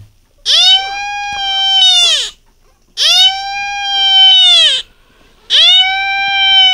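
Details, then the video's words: Beagle giving the first cry of its life: three long, steady, tonal cries of nearly two seconds each, each rising sharply at the start and sagging at the end, separated by short silences in a quiet room. "비글 생애 첫 울음소리"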